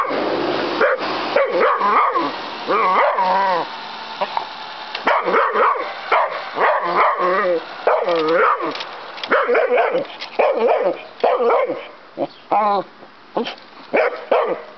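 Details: Pet dog named Maxi barking frantically outdoors at a toy helicopter being flown; rapid, repeated harsh barks and yips in dense bursts, some with wavering whine-like tones, with short pauses between volleys and a steady background hum.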